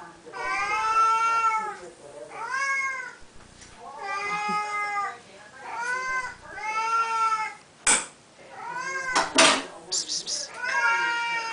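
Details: Several insistent meows from Siamese cats at feeding time indoors, part of a twice-daily ritual; long arched wails repeat every couple of seconds, broken by clicks and household noises.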